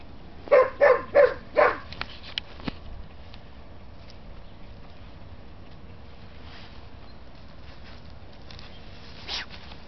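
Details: English Springer Spaniel, one of the pair Diamond and Jessy, gives four quick, punchy barks in the first two seconds, followed by near silence with faint rustling and a soft distant thump.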